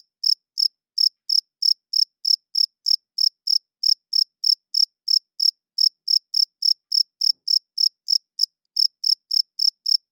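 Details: Crickets heard loud at night: a continuous run of high, shrill chirps spaced about three to four per second, regular with one brief hesitation, in otherwise silent surroundings.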